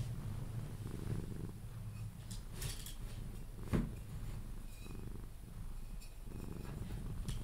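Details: Sphynx cat Pepe, held and cuddled, purrs on its way to sleep; a soft throbbing low purr in waves, broken by a sharp click near the middle and faint rustling.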